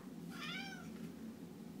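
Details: Domestic cat, described as singing indoors, gives one short tonal meow of about half a second that holds steady and then dips slightly at the end, over a low steady room hum.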